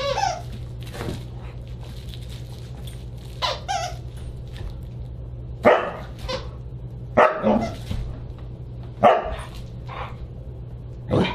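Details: Husky dinner party on December 29, 2022, with a Siberian Husky letting out scattered harsh barks, some in quick pairs, spread over eleven seconds above a continuous low hum.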